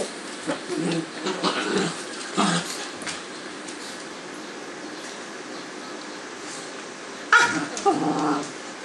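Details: Two Cavalier King Charles Spaniel pups rolling around on a kitchen floor trade short, rough growls and yips while play-fighting, in quick bursts.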